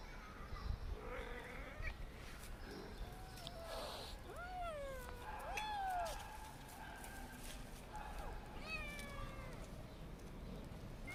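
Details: Kittens meowing: several drawn-out, arching meows that rise then fall, clustered near three seconds, between four and six seconds, and again near nine seconds, with softer mews between them over steady low background hum.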